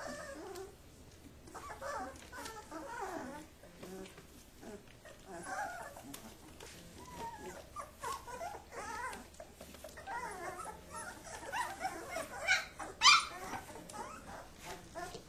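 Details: Kuvasz puppies wrestling while their father looks on: scattered soft growls, whines and yips in irregular bursts, with a sharp squeaky yelp near the end and scuffling between calls.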